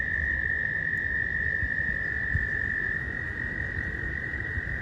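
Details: Frogs swimming in a small pond give a steady, high-pitched trilling chorus, possibly mating calls, heard close up on a windy day before spring; frog.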